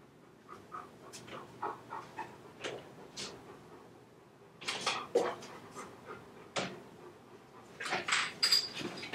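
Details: Leo, a chocolate Labrador Retriever home alone indoors, caught on a home camera breaking into the computer room after his owner leaves; soft breathy panting puffs come about twice a second, then louder scuffling, broadband bumps and rustles.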